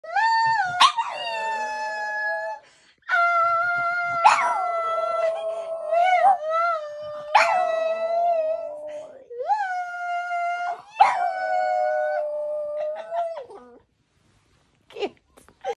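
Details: French Bulldog singing: long tonal howls, each opening with a sharp rising yip then holding a steady wavering note, repeated in about five phrases with short breaths between, ending in quiet whimpers.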